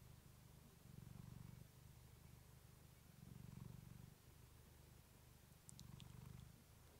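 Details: Clementine, a female pet cat, purring close to a fluffy microphone: a low, steady rumbling purr that swells louder about every two and a half seconds with each breath, with a few faint clicks near the end.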